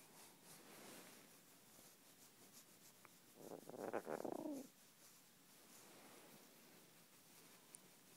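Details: Jasper, a pet cat who loves cuddling under blankets, coos while having his head scratched: a single soft, throaty trill lasting about a second near the middle, framed by quiet room hush before and after.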